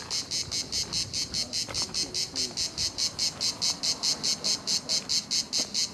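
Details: Cicadas at La Garoupe, Cap d'Antibes, France, giving a loud, shrill buzzing song broken into even, rapid pulses a little over twice per second, with faint low background rumble.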